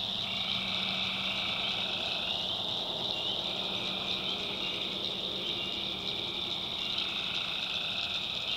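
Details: Tree frogs calling at night in a swamp in the backwoods of North Carolina: a dense, continuous high droning chorus, with lower pulsed trills swelling in long bursts and breaking off, over a steady insect-like hiss.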